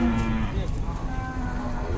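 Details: A jumbo cow at an Indonesian cattle market, about to be weighed and sold, gives a long, low, steady moo lasting over a second, with brief voices and market background noise around it.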